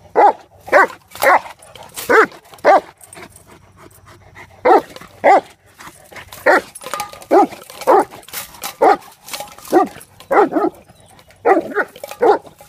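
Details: Mace, a playing mastiff, barks in uneven bursts around the trap: clusters of rapid deep barks, a quieter lull of a second or two, then another long volley of about a dozen barks.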